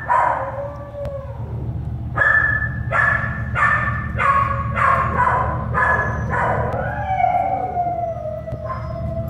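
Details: American Staffordshire Terrier puppies, born at an animal shelter, let out a rapid series of clear, high yelps, ending in a long, slowly falling whine, over continuous low machine-like hum.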